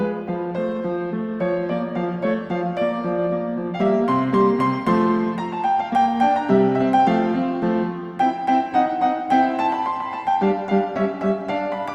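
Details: Solo piano music plays throughout with a steady stream of notes, and no animal sound.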